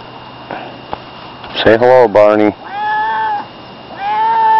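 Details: A person says hello twice, then the pet cat Barney answers with two steady, drawn-out meows that seem to echo the word hello.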